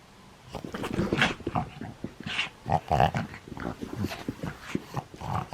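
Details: During play, a nine-year-old pug in Japan (11 January 2020) gives a dense run of piggy grunts, snorts and gravelly growls, rapid and irregular, rising and falling in loudness for several seconds.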